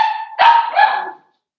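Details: Five-week-old Cavalier King Charles Spaniel puppy in Daisy's puppy pen, one drawn-out, loud, high yelping bark that wavers and fades after about a second.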